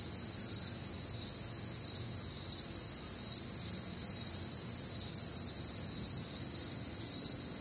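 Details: On a humid Midwestern summer night, crickets keep up a loud, high-pitched pulsing chorus, several chirp rhythms interleaving in bright bands, over a soft low background murmur.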